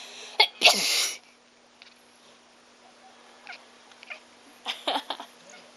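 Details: Pet cat crying out in response to a person's sneezing, a habit it picked up after being sneezed on heavily in the past. A sharp burst of noise is followed by a short, loud, harsh cry. Faint soft sounds come later.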